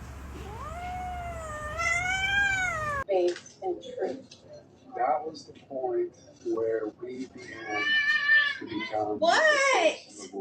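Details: Domestic cat giving one long, drawn-out meow that rises and then falls over about three seconds, followed by a person talking with short cat vocalizations mixed between the words.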